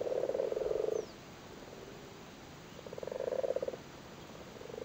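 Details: Irish frogs busily spawning in a flooded cattle grid in Cork, likely lusty males: two long, low purring croak bursts, each about a second, with a quiet gap between them and another starting at the end.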